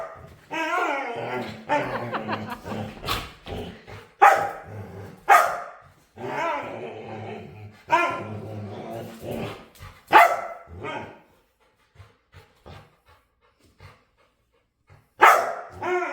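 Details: A dog begs to play with high, wavering harmonic whines, then a run of short barks and grumbling moans. Silence follows near the end, broken by one final sharp bark.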